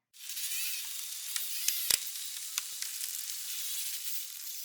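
An Indo-Pacific humpback dolphin's burst pulse, a dense, sizzling crackle of rapid clicks under steady hiss.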